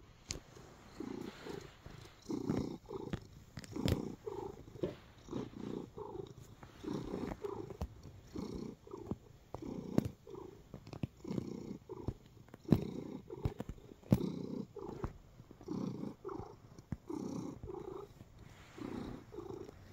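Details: Relaxed male cat purring while kneading: a steady, low, rumbling purr pulsing in soft rhythmic waves, with faint clicks and rustles close by in a quiet room.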